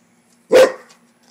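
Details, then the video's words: A pet Rottweiler barking at a frog: one loud, sharp, broadband bark lasting about a quarter second, followed by quiet indoor background. "Rottweiler vs. Frog"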